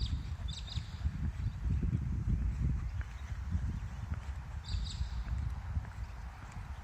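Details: Kangaroo calling, probably in courtship, recorded outdoors while kangaroo watching: a run of low, rough, pulsing clucks that carries on through the whole stretch, with brief high bird chirps at the start and near the end.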